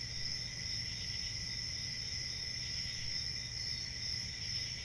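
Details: Crickets chirping in a dense, unbroken chorus: shrill high-pitched trills layered in several steady bands, with a soft low rumble underneath and no pauses.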